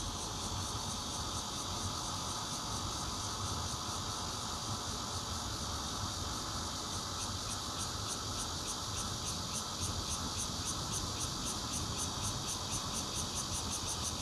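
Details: Bear cicadas chorus, recorded on 16 June 2013 from a fourth-floor home in Zhongli, Taiwan, with a Nokia Lumia 820 phone. A dense, continuous, hissing buzz fills the clip, and a high rhythmic pulsing becomes clear in the second half.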